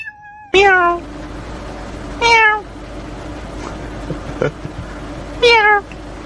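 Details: Domestic cat from a funny cat compilation giving three loud, clear meows, each starting high and sliding downward, spaced roughly two to three seconds apart, with a faint steady hum behind.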